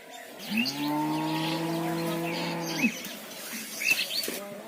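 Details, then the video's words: Mother cow calling for her calf: one long, deep, level moo of over two seconds with a slight rise at the start and a drop at the end; light chirps and rustling around it. "Cow Mooing"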